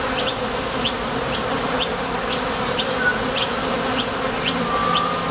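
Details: Honey bees flying in and out at the entrance of a top bar hive, heading to or returning from the field for nectar: a steady low droning hum, with short high chirps repeating about twice a second throughout.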